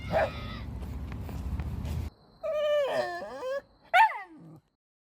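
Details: Mixed-breed country dog at the end of a walk in Daejeo Ecological Park, Busan: a sharp yelp, then long wavering whines sliding downward, and a final high rising-then-falling whimper, after a stretch of outdoor noise.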